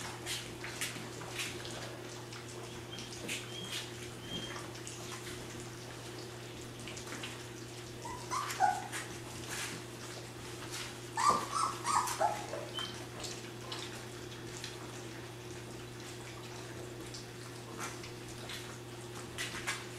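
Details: Puppies three weeks old eating their first gruel meal on April 1, 2010; two brief bouts of thin, wavering whines stand out over a constant backdrop of lapping, smacking clicks and a low electrical hum.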